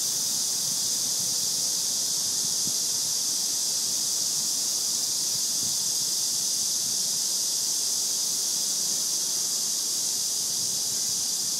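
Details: Cicadas singing in summer under tree shade: a steady, unbroken high-pitched hiss that fills the air without pause or change in loudness, with a faint low rumble beneath.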